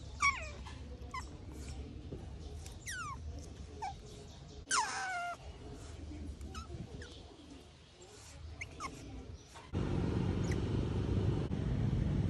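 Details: A wild Asian small-clawed otter cared for at a mangrove otter conservation center, just after waking up early, makes scattered high squeaky chirps with quick falling sweeps, then loud rustling handling noise takes over near the end.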